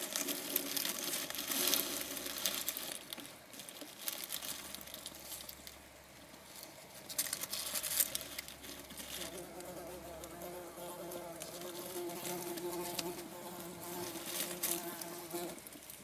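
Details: A small hedgehog in a newly built hedgehog house chews dog food noisily, rapid irregular crunching and smacking clicks, fattening up during warm weather before hibernation.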